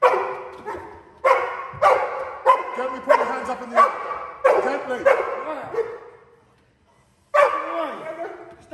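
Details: During a home invasion training drill, a Cane Corso guards a 'criminal' with rapid, gruff barks, about nine in quick succession, then a second of silence before barking resumes; human speech is heard faintly alongside.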